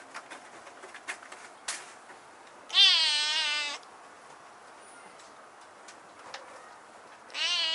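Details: Husky-voiced kitten that has climbed to a high spot indoors gives one loud, drawn-out meow lasting about a second, then a second meow begins at the end; soft taps and rustling in between.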